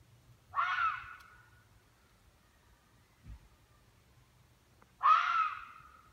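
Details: In northern Michigan, a red fox gives two harsh, hoarse screams, each about a second long, several seconds apart; the owner believes it is a hunting call used to scare prey into running.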